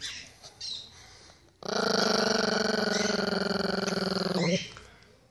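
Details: Pinscher guarding its ball growls steadily for about three seconds, a harsh pulsing rumble with rapid regular throbs, after a person asks in Portuguese to see the ball.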